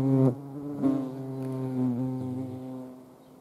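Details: Hand-feeding hornets in the Eifel region of Germany: a loud, deep, humming wing buzz with strong overtones, surging in short bursts at the start and again just before the one-second mark, then droning on and slowly fading.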